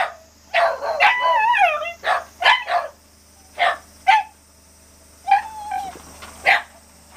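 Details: A Shiba Inu lets out scattered sharp yelps and a couple of drawn-out wavering whines, separated by short silent gaps, with a faint steady hum behind.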